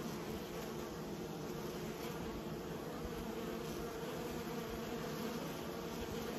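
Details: Honey bees kept by a beekeeper give a steady, dense buzzing drone with a low hum band that never pauses, an even continuous roar of many wings.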